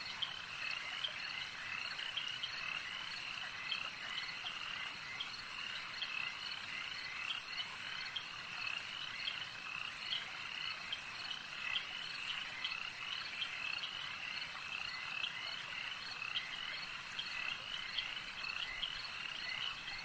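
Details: Frogs croaking at a lake in a thick, even chorus of quick high trills, quieter overall, with occasional sharper clicks punctuating the steady hum.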